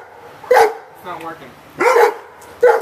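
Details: Two Rhodesian Ridgebacks barking at a radio-controlled pickup truck, giving loud, sharp single barks spaced about a second apart, with a softer growling sound between them.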